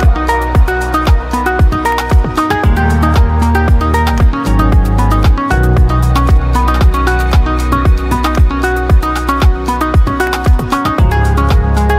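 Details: Upbeat electronic dance music with a steady thumping beat and bright synth notes fills the whole stretch, with no animal voice heard.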